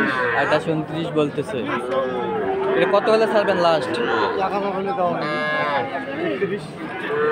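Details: Sahiwal breed calves at a cattle market in Ambari, Dinajpur, on Monday 20 February; repeated overlapping moos with wavering pitch rise and fall throughout, mixed with steady crowd chatter and people talking.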